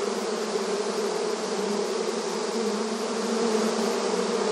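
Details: Honey bees busy at the entrance of their hive, heard as a continuous dense buzz of many insects, low humming tones steady beneath a bright hiss, swelling slightly near the end.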